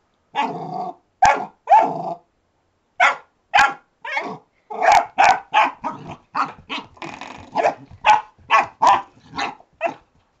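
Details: Alfie, a retriever puppy, barking at a door stop he has just discovered: short high yappy barks with growly edges, coming in quick irregular bursts, about twenty in ten seconds, with a few brief pauses.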